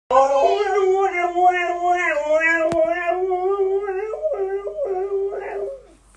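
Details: Husky waking its owner in the morning, a long wavering howl-like vocalization rising and falling in pitch for about six seconds, breaking into shorter yips and whines near the end.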